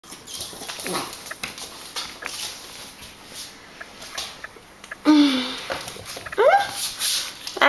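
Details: American Pit Bull Terrier puppy whining to wake its owner at 6 in the morning: two short whimpers, one sliding downward, then a higher one rising sharply, amid rustling and faint background noise.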